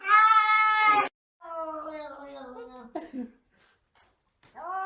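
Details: A cat in a box gives a loud, high, harmonic yowl. It then drops into a long wail that slowly falls in pitch, ends with a brief scuffle, and rises again at the end. A person reassures it softly.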